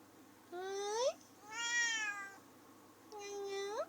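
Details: Female domestic cat talking and singing along: three drawn-out meows, the first and last sliding sharply upward at the end, the middle one long and steady with a slight fall, separated by short quiet gaps.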